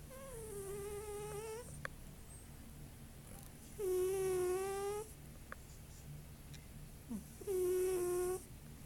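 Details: Savannah cat snoring really loudly: three drawn-out, tonal, nasal snores rich in overtones, each lasting about a second and spaced roughly three to four seconds apart, over a steady low hum.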